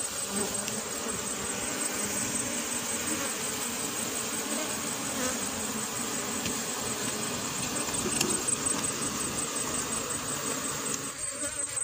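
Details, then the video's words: Asian honey bee (cerana) colony buzzing continuously while its hive is relocated and the queen is searched for, a thick unbroken drone with layered low tones and high hiss, fading slightly near the end. "Proses pemindahan sarang lebah"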